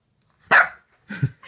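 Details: Layla, a Boxer puppy wary of a new squeaky toy, gives one loud, sharp bark indoors, followed by a short, low grumbling growl and a softer huff.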